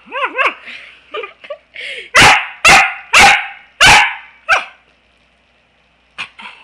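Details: Pembroke Welsh Corgi named Niea, a female, playing with her owner on a couch indoors and giving love nips; a few yips, then a run of five sharp, loud barks about half a second apart, a trailing bark, and a woman's voice in between.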